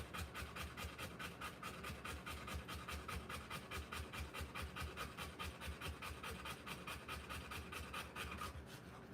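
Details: Rottweiler giving birth to puppies, breathing in rapid, steady panting, about two breaths per second, soft breathy strokes repeated evenly throughout.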